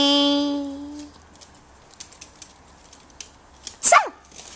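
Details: AKC micro teacup poodles from Alabama, US, now living in Hong Kong, in 'crazy mode': a steady, tonal whine lasting about a second, then faint clicks and scuffles, and a sharp, high yip that sweeps downward near the end.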